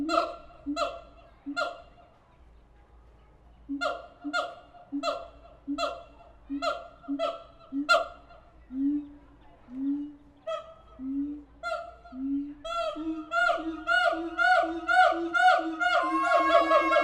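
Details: Siamang apes in captivity at the Tulsa Zoo giving loud, harmonic barking hoots, about two per second in bursts with short pauses. Several rising, swooping whoops follow, then the series quickens and intensifies toward the end.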